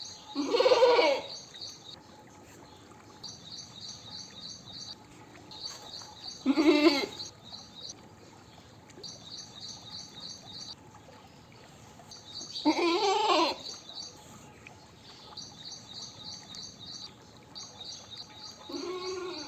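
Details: Goat bleating: four loud, wavering bleats, each under a second, spaced about six seconds apart. Between them runs a steady, rapid, high-pitched pulsing chirp in the background, likely insects or birds.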